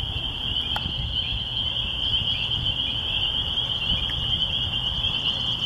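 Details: A dense chorus of spring peepers in the countryside by a church, with red-winged blackbirds present, gives a steady wall of high, shrill peeps over a low rumble.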